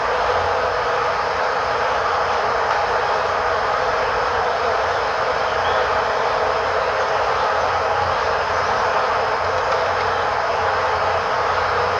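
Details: Steady loud rumbling roar of a passing train, constant broadband noise without pause, with no animal sound present.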